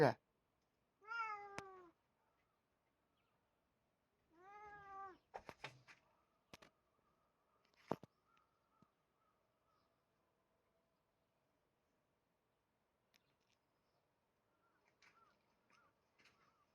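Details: House cat gives two short, downward-curving meows about three seconds apart, followed by scattered clicks and taps, then long near-silence with faint rustles.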